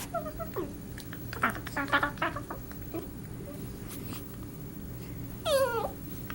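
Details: Darla, a pet cat, playing with Marvin indoors, making odd alien-like noises: a few short chirps early on, then a long warbling cry that slides downward near the end, over quiet room background.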